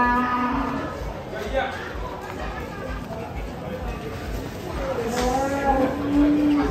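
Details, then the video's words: A bull rampaging after breaking loose from a truck. Two hoarse, rising-and-falling bellows come at the start and near the end. Between them are crowd chatter, background music and a rhythmic low thumping. "SAPI NGAMUK LEPAS TURUN DARI TRUK"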